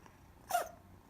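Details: Cat sneezing indoors: one sharp, short, hissing burst lasting a fraction of a second, then quiet.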